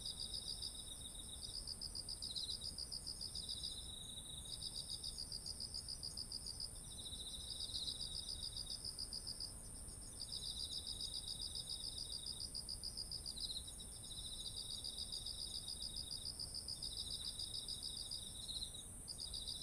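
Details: Insects sing in autumn next to ripening rice paddies, high trilled chirp bursts lasting a few seconds each, separated by short gaps, layered with a second lower chirping caller and an unbroken shrill hum, with faint ambient rumble beneath.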